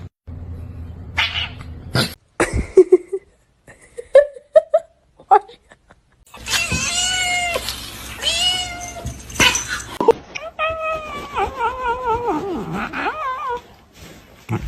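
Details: Kitten meowing indoors: a few short squeaks early on, then long loud wavering meows and a caterwauling wail with repeated rising-falling harmonics, amid bursts of human talk and clatter.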